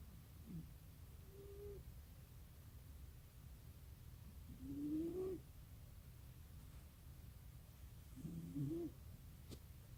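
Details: Sleeping cat snoring with a mechanical-seeming sound: a thin whistle-like tone on each breath, three rising, wavering tones spaced about four seconds apart over a quiet low hum.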